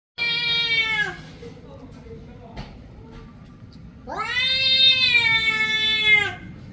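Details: Domestic cat meowing: two long, strongly harmonic meows, the first about one second falling at its end, the second about two seconds rising then level, with a quiet pause and a soft click between.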